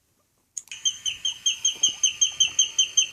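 A guinea pig wheeks, giving fast, shrill, whistled squeals, a call made when hungry or wanting something.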